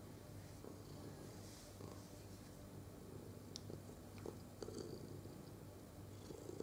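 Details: Purring domestic cat being caressed, recorded 22 November 2018: continuous deep, even rumble with occasional light rustling and faint clicks of fur being stroked.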